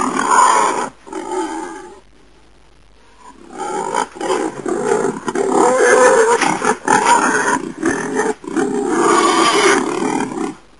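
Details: Wild boar sounds: an opening gruff grunt, a quiet gap, then sustained raspy roaring growls with short breaks between loud, grating phrases.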